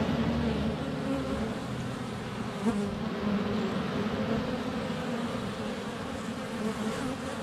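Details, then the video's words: Honey bees in flight at a hive entrance on a sunny February day, recorded less than a foot away with a GoPro Hero 7 Black: a steady, dense low hum of many wings with fluctuating droning tones and brief louder passes. "4K Honey Bees - ambient video and audio"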